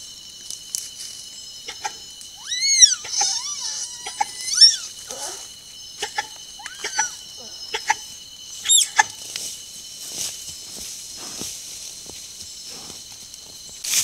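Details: A male and a female tapir, caught on a camera trap following one another and communicating together: high, arching squeals and whistles with harmonics, clustered early and again near the end, over a steady high insect drone and scattered clicks.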